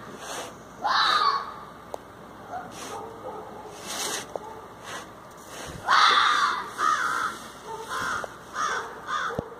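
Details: A red fox facing a groundhog gives harsh, hoarse, crow-like calls in short bursts and then rapid clusters.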